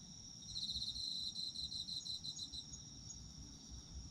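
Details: Autumn insects at night for sleep listening: a pulsed high chirping trill for about two seconds over a steady high insect drone, with low rumbling background noise throughout.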